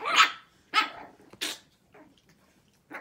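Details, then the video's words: Shih Tzu puppies, six weeks old, in a barking contest: a few sharp, high yappy barks, then short quieter yips spaced irregularly, with pauses between them. "Barking contest, 6 Weeks"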